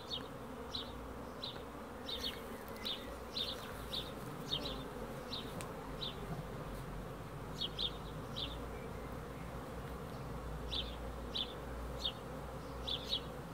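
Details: Honey bees giving a dense, steady low hum with a droning band in the low-mid range, while short high chirps repeat about twice a second throughout.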